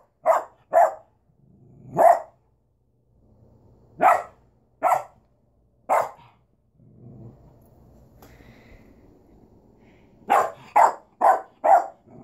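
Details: Duchess, a pet dog, gives bursts of loud mid-pitched barks, a pair, a single, then a run of three, a quieter low rumbling stretch in the middle, then a quick burst of four barks at the end.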